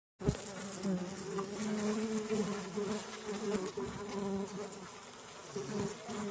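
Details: Mandaçaia-da-caatinga stingless bees of the Caatinga, a colony replacing its queen near the end of winter; a steady low hum with layered droning tones, faint crackles and taps over constant hiss.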